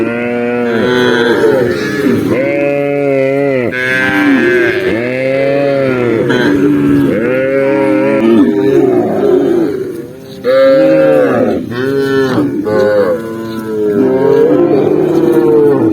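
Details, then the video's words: Tens of thousands of tame cows walking together across rural land during the day; a continuous chorus of overlapping moos, each arching up and down, with almost no gaps over sixteen seconds. "cow sound cow Moo"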